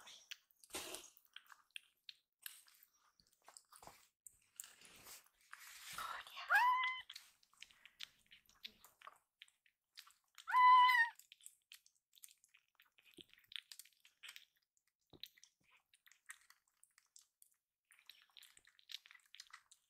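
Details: Young rescued kitten meowing loudly for more food after eating, its cry heard as 'iru', meaning it wants seconds; two clear, bent meows separated by about four seconds, with soft clicks and chewing sounds around them.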